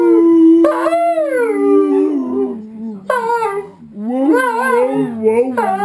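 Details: Two pet dogs howl along with wolves on television, a pack-bonding chorus; long smooth overlapping howls, one held steady and low while another rises and falls, with a brief dip before a renewed swell of several voices.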